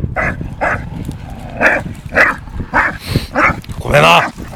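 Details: Two dogs, an 8-month-old Staffordshire Bull Terrier and a 2.5-year-old English Bulldog, play-fighting; short, harsh barks and gruff growls come in bursts about every half second, with a person speaking Norwegian nearby.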